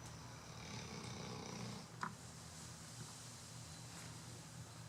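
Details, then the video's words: Chocolate Labrador Retriever snoring through a Sunday afternoon nap: a low, rough, pulsing rumble held for about two seconds, then quieter steady breathing, with one brief sharp click midway. "Labrador Chocolate - Bro roncando"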